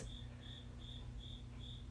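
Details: An indoor cricket, said to be trying to mate, chirps persistently: high, thin pulses repeat evenly about every third of a second, against a low steady hum.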